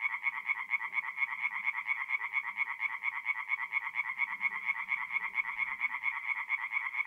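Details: Tree frogs sing by night at a north-east Italian forest pond in mid-April, a regular, throbbing series of sharp, ringing croaks repeated about twice a second, with a quiet low hum in the background.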